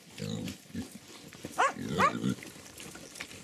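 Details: Hungarian Mangalica piglets, one of ten young pigs on a farm, eating chicken offal: short low grunts in quick bursts with a couple of higher squeaky squeals in the middle, over chewing and rustling noise.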